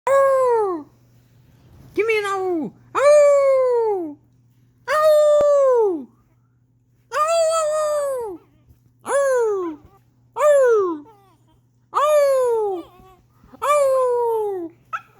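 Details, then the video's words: Pet dog howling indoors in response to its owner's howling: nine drawn-out falling awoo notes, each about a second long and spaced roughly every one to two seconds, some with a rising start. "Awoo'ing my dog so he makes cute sounds"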